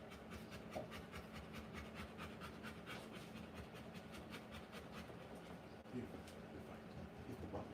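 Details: Rottweiler mother panting rapidly while giving birth to puppies indoors, a fast even train of breathy pulses running throughout, with faint murmured voices in the background.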